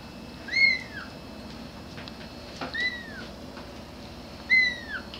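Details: Grey kitten calling for its mother, giving three clear meows about two seconds apart, each a short arched whine that rises then falls, the middle one softer, over faint room noise.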